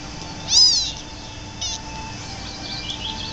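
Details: Orphaned kittens rescued from an attic at a few days old, now in foster care in Rutherford County, North Carolina, nursed by foster mother cat Momma Tuscany; one loud high rising-falling mew, then a shorter fainter mew, over a steady hum.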